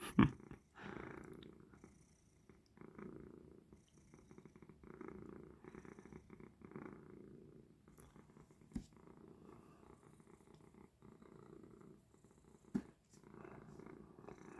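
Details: House cat purring while lying down, as it usually does before falling asleep indoors; a soft, low rumbling purr in bursts separated by short pauses, with a few sharp clicks and knocks.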